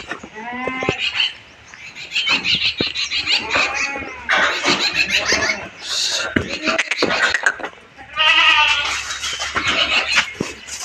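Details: Castrated male goats, 14 to 15 months old, on a goat farm around Bakri Eid sales, bleating in wavering, harmonic cries near the start and again around eight seconds, with men talking and handling the animals throughout.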